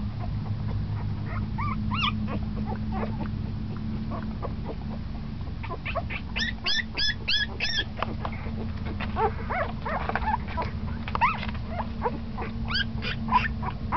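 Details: Puppy ten days old, now starting to move around actively, making scattered thin squeals and whines, with a tight cluster of sharp high squeaks in the middle and more whimpers near the end, over steady low humming noise.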